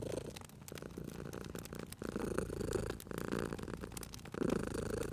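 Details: Purring cat resting near a fireplace, a low vibrating rumble broken into short uneven bouts, accompanied by frequent dry crackling of the fire.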